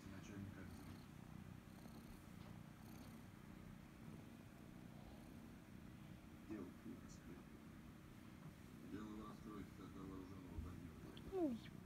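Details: Loud purr from the kitten Kryska, who loves being stroked and scratched behind the ear: an unbroken low rumble holding steady, ending with a short rising-falling squeak-like sweep.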